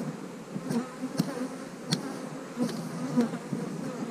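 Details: Colony of honey bees being split into new hives, a queen cell placed in the splits; a steady, low droning buzz runs throughout, with a few crisp taps and clicks scattered over it.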